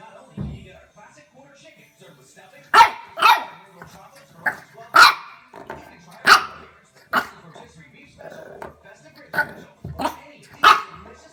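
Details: French Bulldog puppy in a house reacting to a door stopper: a string of short, high yaps spaced about a second apart, with faint background noise between barks.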